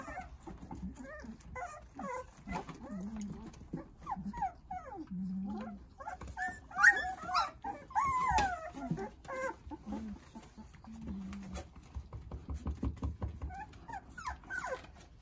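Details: A litter of nine Jindo puppies playing with their mother Sarang: thin, high whines and squeaky yelps come in clusters, with softer low grumbling tones between, peaking in a louder run of overlapping cries midway.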